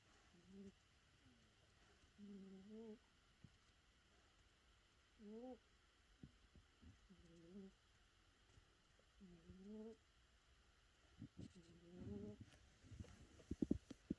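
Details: A sleeping female cat snores in a quiet small room: soft, rasping, harmonic bursts with a slight rising wobble, repeated roughly every two seconds, with a few louder rustles near the end.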